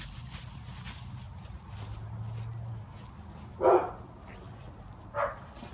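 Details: Confused Newfoundland puppy giving two short, sharp barks about one and a half seconds apart, after a stretch of quiet with a steady low hum underneath.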